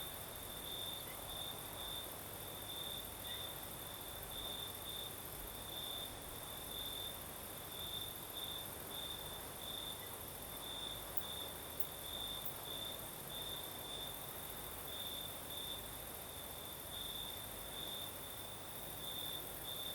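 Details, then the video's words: Night chorus of crickets on the Crimean south coast in a gentle night breeze, a continuous high trill broken into rapid regular pulses, with a fainter shrill hiss higher up and airy background noise. "Сверчки поют"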